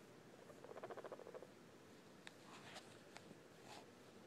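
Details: Guinea pig making a brief burst of quick, evenly spaced buzzy pulses lasting under a second, followed by scattered sharp clicks and light rustling.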